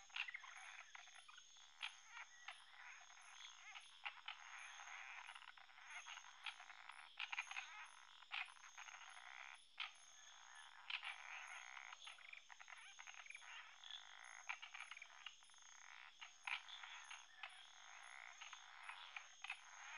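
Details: Indian frog; croak; territorial defence and intimidation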